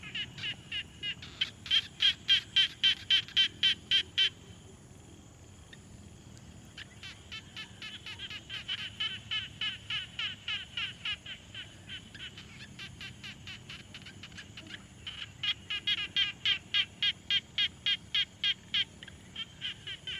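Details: At a quiet pond, a frog gives fast trains of sharp, high clicking pulses, pausing between bursts.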